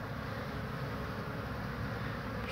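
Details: Honey bees on 22 March 2019, returning with pollen, one tired bee landing on a hand to rest before flying off; a steady low droning hum from many bees fills the short stretch, unbroken throughout.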